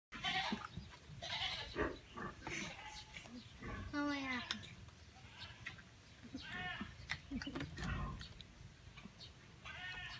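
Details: Baby goat being given vitamins, giving short wavering bleats with rising and falling tones, several spread through the recording, while people talk nearby.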